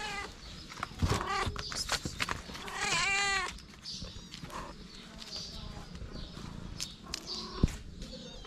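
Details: Several hungry kittens next to their mother let out a quick run of overlapping meows, a long wavering one standing out, then the cries fade into quieter rustling, taps and faint high chirps.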